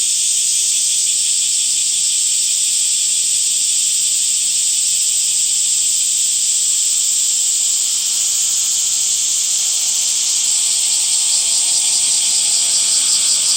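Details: Cicadas singing in summer: a dense, unbroken high-pitched buzzing drone that holds steady throughout, with a faint shimmering pulse and no other clear sounds.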